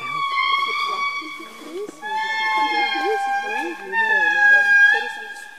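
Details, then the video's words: Indri giving long wailing, sustained tones in two or three held phrases, each sliding slightly downward, with softer human voices murmuring underneath. "Indri music"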